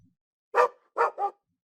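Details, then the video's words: Domestic dog barking: three short, sharp barks, a single bark followed by a quick pair, against a silent background. "SOM DE CACHORRO"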